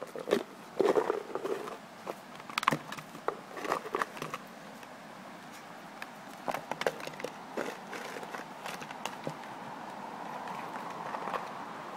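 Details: Sharp knocks and clatters of a food bowl being batted around indoors, with scattered footsteps and no barking or other animal voice.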